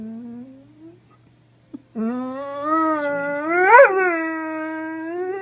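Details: Doberman giving a drawn-out tonal whine, a steady low note that breaks off, then resumes and climbs into a sharp rising peak before settling back to a level, sustained howl in a quiet indoor space.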